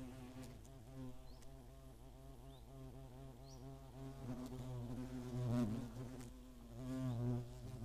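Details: Several hornets buzzing around their nest near Greimersburg in the German Eifel, mid-August 2017. A layered, humming drone swells and fades as insects pass close, loudest near five and a half seconds. Faint distant chirps are also audible.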